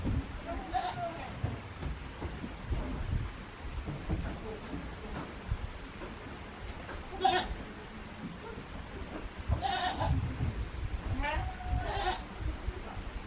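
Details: Goat kid named Daizu at Yoshigake farm, a handmade goat farm in Japan, in spring on 24 March 2021; several short wavering bleats, with a person talking quietly between them.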